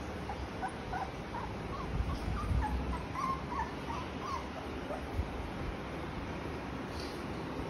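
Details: Thirty-day-old blue beagle puppies giving soft, high whimpering yips in a quick, uneven run of short notes, thin and faint against a steady broadband hiss.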